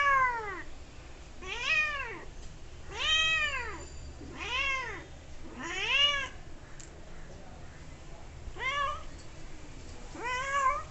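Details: Playful kitten chatting with a person: clear, drawn-out meows that bend up and down, about seven of them spaced one to two seconds apart, with a faint low hum in the room behind.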